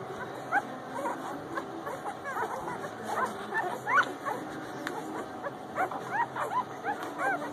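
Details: Central Asian Shepherd puppies from a bitch's first litter, recorded in December 2017: many overlapping short squeaky whimpers and yelps, arched and rising-falling, tumbling over one another throughout, with faint voices and steady background hum.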